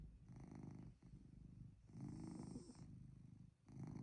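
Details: Chloe, a house cat, snores through a cozy night in: continuous low vibrating rumbles in about three long breaths, one louder swell in the middle, sounding like a soft idling motor.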